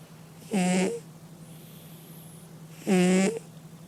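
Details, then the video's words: Sleeping domestic cat snoring indoors: two short, loud, buzzy snorts with a steady low pitch, about two and a half seconds apart, over a constant low electrical hum. "Кот храпит"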